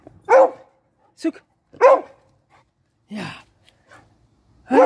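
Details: Bailey, a beagle at daily nose training, barks to signal he has found his dinner placed up high: about five sharp, harmonic-rich barks in under five seconds, spaced unevenly, with a quieter yip between them.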